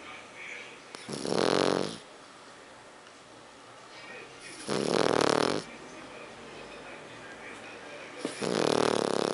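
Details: A sleeping French Bulldog snores steadily: three long, rasping, breathy snores, each lasting about a second, recur roughly every three and a half seconds against quiet indoor background hiss.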